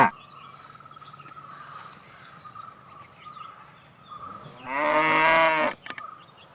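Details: Cow giving one loud, drawn-out moo of about a second with a rich, slightly rising then falling tone, preceded by quiet stretches of steady insect-like buzzing and a thin high whine.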